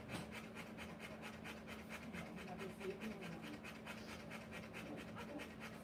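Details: Heavy, regular panting from a Rottweiler in labour delivering puppies, quick breathy pulses repeating over two a second, steady throughout, with a faint continuous hum beneath.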